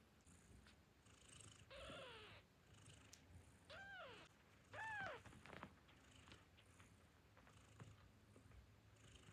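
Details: Newborn kittens nursing from their mother: soft rustling and suckling sounds with a few brief arched high mews in the middle, the rest quieter murmuring and shuffling.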